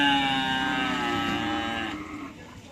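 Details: Cattle at a karapan sapi (bull racing) training session at the Asemanis field in Pamekasan: a long, steady, harmonic moo that holds its pitch for about two seconds and then fades, with faint background noise.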